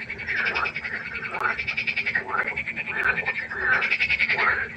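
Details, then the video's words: Pond frogs at night calling in dense, grating croaks, each a fast train of pulses, one after another with hardly a gap. "1 Stunde Froschkonzert. Frosch Geräusche quaken"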